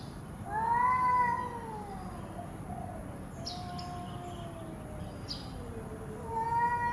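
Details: Cats fighting give long, wavering, drawn-out meows that rise and fall in pitch, one yowl after another, over steady background hiss.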